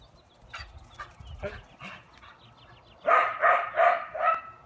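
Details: Dog barking: a few softer, distant yips in the first three seconds, then four loud, closely spaced harmonic barks in quick succession, roughly one every third of a second.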